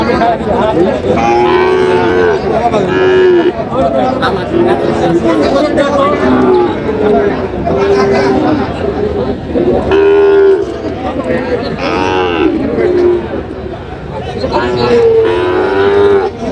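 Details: Busy cattle market in Chandpur on 23 July 2025 where a Sahiwal bull calf is sold: many overlapping moos, short and long, calling every second or two, mixed with constant crowd chatter and voices.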